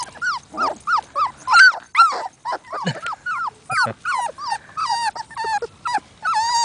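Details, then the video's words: Labrador Retriever puppies whining for attention: a rapid series of high, tonal whimpers and yelps, many rising then falling, overlapping and irregular, roughly two or three per second, with a man's voice speaking gently just before. "Sad Puppy Cries! (Labs whinning for attention)"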